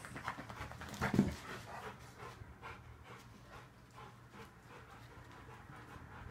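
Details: Rottweilers resting after indoor play-wrestling: steady rapid panting with a brief louder scuffle near the start, and quiet room sounds.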